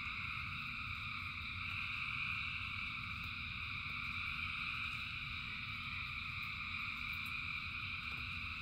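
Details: A rain-soaked frog chorus of thousands: continuous overlapping high trilling in even bands, slightly louder around the middle, with a soft low rumble and a few faint drip-like ticks.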